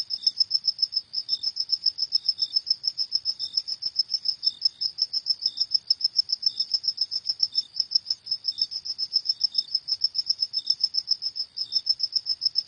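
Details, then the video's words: Shrill cricket chirps at night, fast and continuous throughout, overlaid with occasional lower, fainter chirps from another insect nearby. "Suara Jangkrik di Malam Hari"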